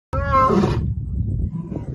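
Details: A lion from a bachelor group of three defends territory at Simba Kopjes in the Serengeti with a brief, harmonic, rasping roar, followed by a low rumble.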